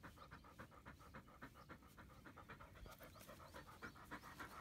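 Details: Labrador Retriever frisbee dog during a morning training routine of walking, stretching and throwing, rapid rhythmic panting at about three and a half breaths per second, steady and fairly quiet.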